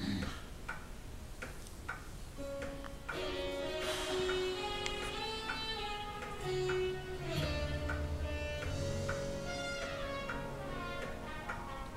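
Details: String music with bowed and plucked notes that swell and slide over a low drone, and no snoring or other animal sound.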